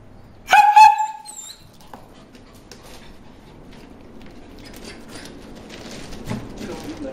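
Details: At a water hole, Bruce the dog barks at the fish, giving one loud ringing bark and a quick second yelp at the start, then falling silent while soft outdoor background noise and faint voices follow.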